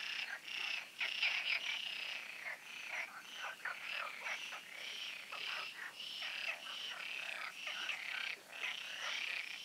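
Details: Frogs calling together at night in the Oasis ponds before the full moon, a loud, thick chorus of harsh pulsed croaks, bursts packed closely and overlapping with no pauses.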